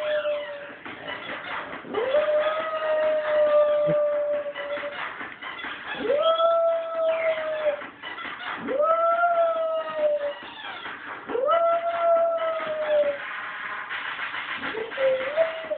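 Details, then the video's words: Dog howling along to a squeaky toy's song: long, steady, tonal howls that swoop up then hold level, repeated every two to three seconds, over a continuous squeaky electronic melody. "howling to squeaky toy song"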